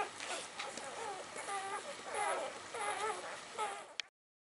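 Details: Gemma x Dublin 'Earth Litter' puppies, 48 hours old, born by C-section on January 20th, 2013, giving thin, squeaky whimpers and squeals that rise and fall in short bursts, several overlapping, with quiet background rustling and a click at the end.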